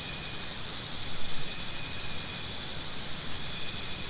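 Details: Crickets offered as natural sound therapy for tinnitus: a steady, high, shrill pulsing chirp repeating rapidly and evenly throughout, over a faint low rumble of background noise.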